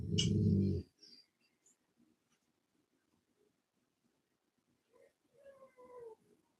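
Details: Cane Corso, the Italian Mastiff, kept by a breeder near Nashville, Tennessee: one loud, deep, booming bark opens, then quiet shuffling and a couple of faint tonal whimpers near the end.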